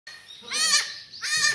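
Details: Black goats on a farm in Gimhae, South Korea, in a new maternity pen, 28 February 2019: two wavering, nasal bleats, the second starting about half a second after the first ends.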